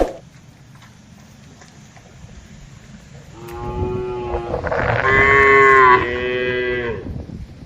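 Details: Herded tame cattle grazing on broad green pasture answer one another. After a few seconds of low rumbling background noise, a drawn-out, rising moo builds in loudness and then eases off.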